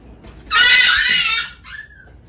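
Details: Young female Poodle puppy, vocal at night during winter crate training, giving one shrill, harsh cry about a second long, followed by a fainter rising whine; quiet room otherwise.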